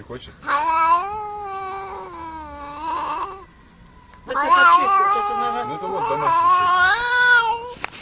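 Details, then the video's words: Domestic cat yowling in two long, strained meows: the first held steady for about three seconds, then a short quiet gap, then a louder, wavering, rising-and-falling wail lasting nearly four seconds. "Cute Cat Meowing"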